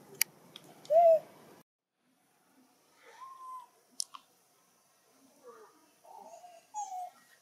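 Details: A baby macaque in a monkey troop in Siem Reap Province cries with loud, tonal wails, calling for its mother because another monkey is playing too roughly with it.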